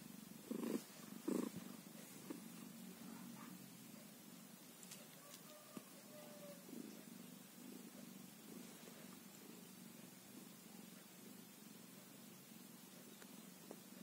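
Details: Two short loud bursts open, then a one-day-old kitten settles into a steady low purr, with a faint thin squeak around the six-second mark.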